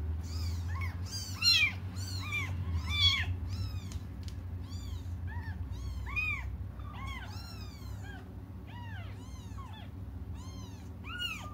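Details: Several cats waiting for their mother cry in overlapping bursts, a dense stream of short, high, arched meows tumbling over one another almost without pause, against a constant low rumble.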